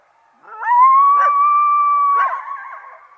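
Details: A coyote's steady, drawn-out howl holds one pitch for nearly two seconds, broken by brief yips from another animal partway through and near the end.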